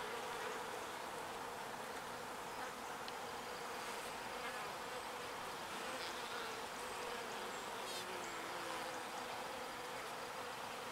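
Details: Many small bees foraging pollen and carrying it back to the hive; a dense, steady buzzing hum with a constant pitch, unbroken for the whole stretch, with faint ticks and clicks above.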